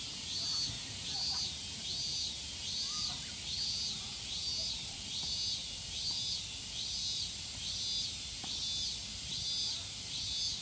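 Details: Higurashi, the evening cicada of Japan, calling in regular high, shrill pulses roughly 74 per minute. Each burst swells and fades over a steady insect hiss, with quiet low-pitched background noise.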